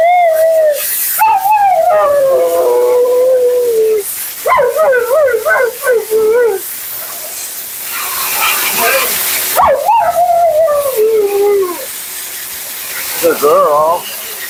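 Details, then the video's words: Siberian Husky Mila, dramatic and vocal, keeps up her commentary through a bath and blowout at a grooming session. Several bent, moaning phrases with falling ends, separated by short gaps, with a burst of hissing water or dryer noise midway. "Talking Husky FURNADO Bath and Blowout"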